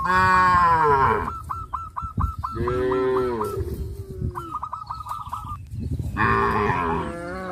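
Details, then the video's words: Tame cows gathered in fields, running and jumping for joy, give deep harmonic moos at the start, the middle and the end, separated by rapid series of short repeated chirping notes from another animal. "sound of cows"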